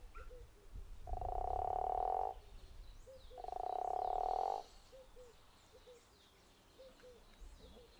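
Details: Two snore-like pulsed calls, each about a second long, from a guttural toad at Zeekoevlei. They are fairly quiet, with faint short chirps scattered around them.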